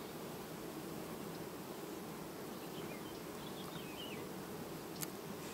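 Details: Honey bee colony on 18 August 2019, quietly replacing its queen: a dense, steady low buzzing of many bees throughout, with a few faint thin whistled tones, likely birds, around the fourth second and a brief click near the end.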